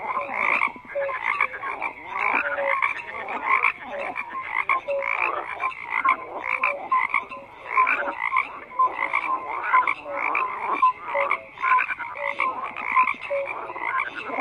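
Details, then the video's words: Many frogs croak together in a continuous chorus: repeated short tonal pips, buzzy rattles and pulsed trills stack over one another, swelling and easing in waves throughout. "FROGS CROAKING"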